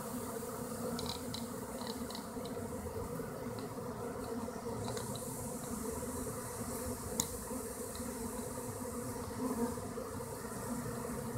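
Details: A honey bee swarm moving into a hollow tree hums in a dense, steady drone, with a few faint ticks above.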